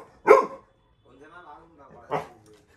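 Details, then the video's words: Labrador Retriever puppy Little John barking at a stranger inside the home, two barks separated by a person speaking. "Labrador puppy guarding home when stranger enters"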